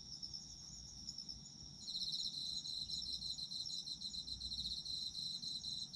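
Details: Shrill continuous ringing of autumn insects, then a louder buzzy pulsed trill starts at about two seconds and carries on quickly and evenly to the end.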